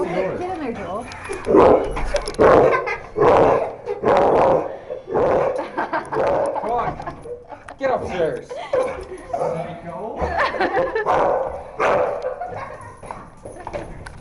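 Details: Female pet dog named Je, indoors at home and going crazy with excitement, gives bursts of sharp barks roughly once a second, mixed with whimpers and yips, while several people talk loudly over her.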